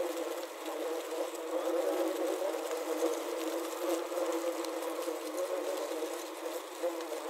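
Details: Many wasps trapped inside a wasp trap buzz in a continuous, low droning hum, wingbeats overlapping into one wavering sound that swells and dips slightly but never stops.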